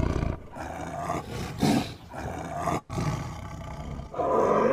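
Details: Tiger giving a series of short, raspy roars separated by brief pauses, throaty and somewhat higher and harsher in tone, ending with a louder, sustained growling roar.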